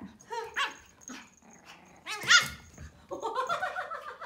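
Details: Playful 12-week-old Pomeranian puppy giving short high yips and whiny rising squeals, then a run of quick higher yelps near the end, with quiet pauses between.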